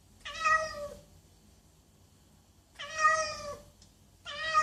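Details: Domestic cat meowing loudly: two drawn-out, slightly falling meows about two and a half seconds apart, with a third starting at the end, in a quiet room.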